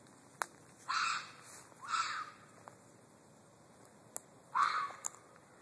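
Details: Red fox giving three hoarse, strained screams, each under half a second and spaced about a second or more apart, with sharp clicks and light taps between calls.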